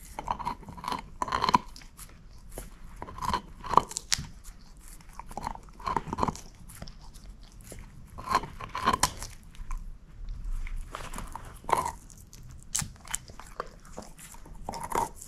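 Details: Moose, a female shepherd mix dog, eating a bone: sharp crunching bites and gnawing clicks in irregular bursts, loudest around every second or two, with quiet pauses between and no talking.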